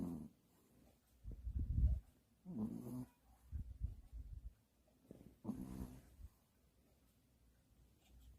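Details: Sleeping Pomeranian dog snoring indoors, billed as the world's loudest: four deep, rasping low snores, each about half a second to a second long, separated by quiet pauses.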